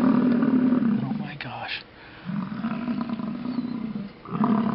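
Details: Wild American bison herd displaying at Yellowstone next to stopped cars; a long deep rumbling roar, a brief human voice, then another sustained throaty roar and the start of a third.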